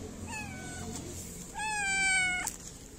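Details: Stray cat in Morocco being petted around feeding time gives two meows, a short one then a longer, louder drawn-out meow with rich harmonics, over quiet background hiss.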